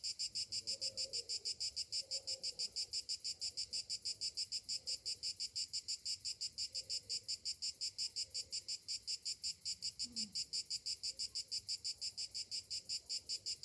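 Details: Cicadas singing on a summer morning: a steady, high-pitched buzzing chorus pulsing about three times per second, with faint low murmurs beneath.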